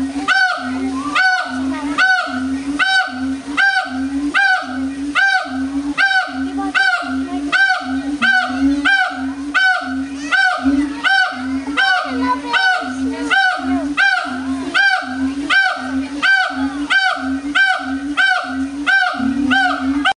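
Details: Howler monkeys at the Audubon Zoo, New Orleans, on 16 August 2008, calling very loudly once they got going: a steady series of harsh, honking pulses, a little under one per second, continuing throughout.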